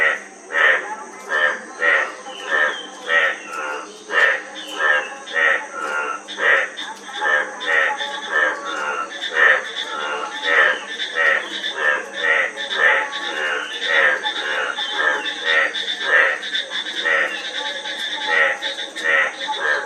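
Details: Several frogs croak together in a dense chorus, rasping pulsed notes overlapping and tumbling over one another almost without pause, above a faint steady hiss.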